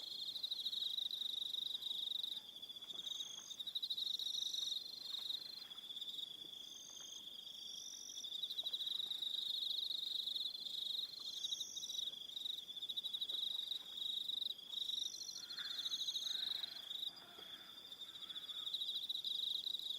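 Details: Crickets calling in the evening on Aroha Island, New Zealand: a steady high trilling band with layered pulsed chirps above it, several insects overlapping continuously, with faint soft clicks and rustles underneath.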